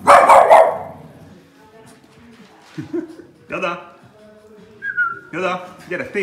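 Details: A Boston Terrier barks at the TV, giving a sharp, harsh bark followed by a few more yaps amid people talking.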